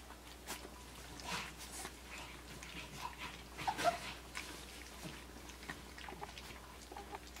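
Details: Australian Shepherd puppies, three weeks and five days old, indoors getting their first taste of puppy mush; a brief soft whimper rises near the middle amid wet smacking and lapping noises and a steady low room hum.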